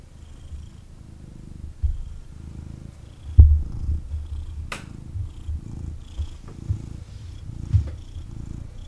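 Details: Purring of a male kitten held and snuggled by its owner, a deep, pulsing rumble rising and falling with breaths, broken by a sharp tap near the middle and a few soft knocks.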